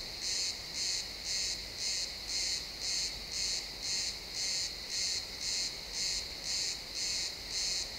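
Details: Crickets chirping in a pine forest at sunset, recorded in XY stereo: a steady, bright pulsed chirp repeating about twice per second with even rhythm. Only faint woodland background noise lies beneath.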